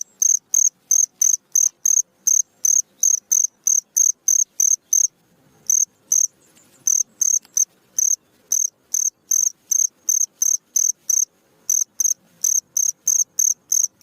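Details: Cricket chirping at night, offered as tutor sound for songbirds: rapid high rasping pulses about three a second, with one clear pause of roughly a second midway before the rhythm resumes.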